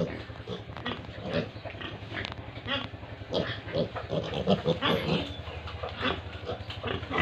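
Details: Pigs and piglets at a pig farm in Tripura make a dense mix of overlapping grunts and short squeals, with steady low rumbling noise underneath throughout.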